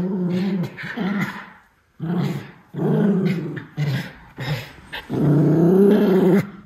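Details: Indoor play session of two Miniature Schnauzer brothers, Lucky and Levi, chasing and jumping; Lucky growls fiercely though only playing. Bursts of low rumbling growls, broken by short gaps, end in a sustained louder snarl.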